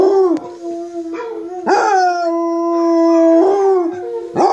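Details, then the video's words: A basset hound, howling while listening to YouTube videos of basset hounds howling, gives long, sustained, mournful tones broken by short yips and pitch breaks. "Munson our basset hound howling"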